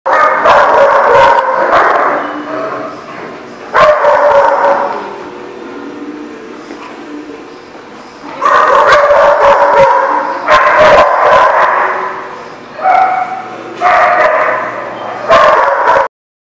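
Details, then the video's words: Dogs barking at a dog facility, recorded 11 June 2018; loud overlapping bark bursts in clusters with short gaps, several dogs calling at once, with clattering and background noise. "The Barking Lot"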